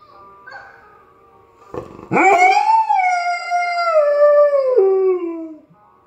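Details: Irish Setter, a pet dog, singing along to dog singers played online: quiet background tones, then a sharp onset into one long rich howl holding steady before gliding downward at the end.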